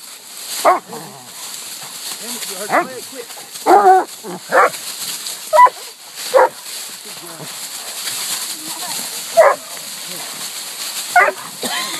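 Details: Hounds at a treed raccoon at a new hunting spot: two Walker hounds, a black and tan and a bluetick, the coon treed 8 minutes after turnout. Loud, ragged barks in uneven bursts about every second or two, a man calling 'oh boy' between them.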